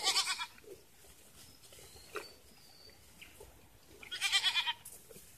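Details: Goats kept on a farm while being given water: two loud quavering bleats, one at the start and another about four seconds later, with quiet rustling between them.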